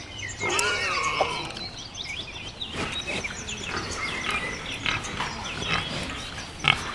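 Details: Wild boar outdoors, a drawn-out harsh call falling slightly in pitch near the start, then quieter rustling with birds twittering and chirping throughout.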